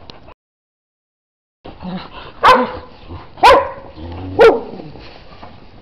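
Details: Pet dog out in the snow giving three sharp, loud barks spaced about a second apart, each a short broad burst, after a brief silent gap; faint background rustle between barks.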